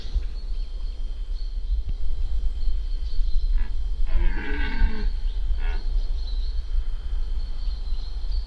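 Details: Red deer stag, an irregular fourteen-pointer, in the 2025 rut in the Spiš region: a single short, harsh harmonic roar of about one second rises over a steady low rumble, with a faint high tone throughout.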